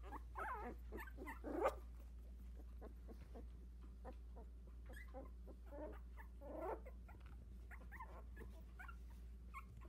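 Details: Sixteen-day-old Havanese litter of four, trying out new legs in their whelping box: scattered short squeaks, with two louder rising squeals, one early and one later, over a constant low background hum.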